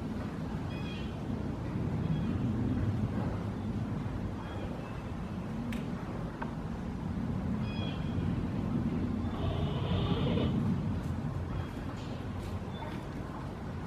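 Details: Giant panda Bei Bei at Smithsonian's National Zoo in December 2017, calling while moving around his yard; short high bleating notes recur over a loud low rumbling background hum, with a longer bleat near the tenth second.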